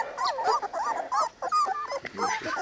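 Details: Three-week-old Cane Corso puppies from the litter of Zola and Ziko, taken outside in fine weather, give a busy chorus of high, wavering whimpers and squeals, overlapping and rising and falling in pitch.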